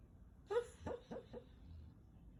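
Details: Natsu, a very timid four-year-old male Golden Retriever, napping in the daytime with a door threshold as a pillow. While asleep he makes a quiet run of four short, soft whimpering yips that fade downward.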